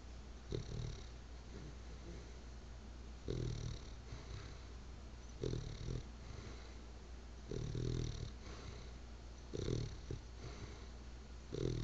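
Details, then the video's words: Church, a sleeping bulldog, snores in low rumbling bursts about every two seconds, each breath a short rough rattle over a steady low hum in a quiet room. "snoring dog"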